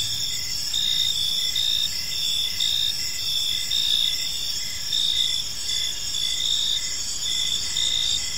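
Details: Crickets chirping on an evening in a peaceful park: a dense, steady high-pitched chorus with layered shrill trills and short pulsed chirps repeating roughly every half second, and no other clear sounds.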